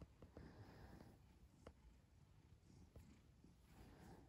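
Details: Domestic cat purring: a low, steady rumble with soft rhythmic pulsing, close and quiet, over a faint hiss of background noise.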